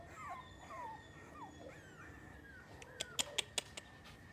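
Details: Miniature Schnauzers, a new group in Oaxaca, whimper with quick falling and rising squeaky slides. A run of sharp clicking taps follows near the end over a constant high hum.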